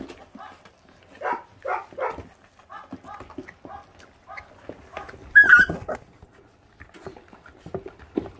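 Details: Twenty-eight-day-old feral puppies, five brothers, guard raw meat while eating; high, harmonic yelping barks and whines in short bursts, one loud sharp yelp near the end, with quiet speech between.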